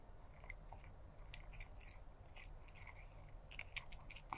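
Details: Stray black cat eating food, crunching and chewing in a quiet indoor setting; soft irregular crunches and clicks recur throughout over a low steady background hum.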